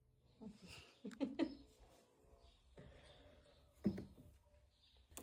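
A Golden Retriever puppy lets out short, gruff yaps and growly bursts in a small room.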